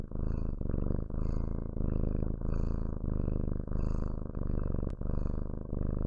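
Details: Domestic cat purring steadily, a low rumbling drone with rhythmic pulses as it breathes in and out, roughly one cycle every second across the six seconds, no other sounds intruding.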